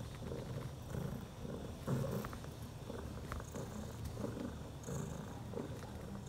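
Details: Bella, a mother cat, six hours after giving birth during the night to four newborn kittens, three male and one female; soft low purring that swells and fades in steady breath-paced pulses, close and quiet.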